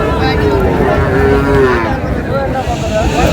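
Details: Small bull calves bought by a farmer in Cumilla, recorded 14 May 2026: a drawn-out, low droning moo with steady overtones over the first two seconds, set against constant crowd chatter and market bustle.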